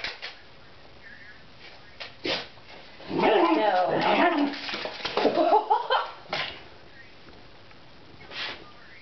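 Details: A Miniature Dachshund gives sharp, scrappy barks and growly yaps in a burst while going after a fat cat, which ignores him, with a person talking nearby.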